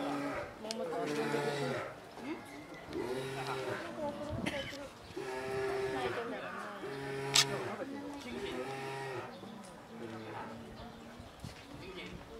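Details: Two-year-old female polar bear Rira nursing from her sleeping 22-year-old mother Lara at Sapporo Maruyama Zoo, 2 July 2017, after waking her; harmonic humming pulses recur about every second or two, with faint human voices behind.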